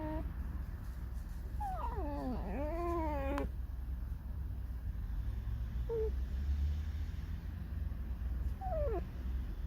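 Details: Irritated tame fox squeaking, described as singing a sad song: a long wavering whine that dips and rises with rich overtones, then short falling squeaks, over low background hum, with a woman speaking nearby.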